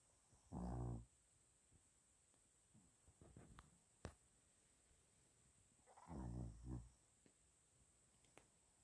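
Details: Sleeping Shih Tzu dog snoring indoors: two loud, low rumbling breaths about five seconds apart, each lasting under a second, with quiet room noise and faint clicks between them.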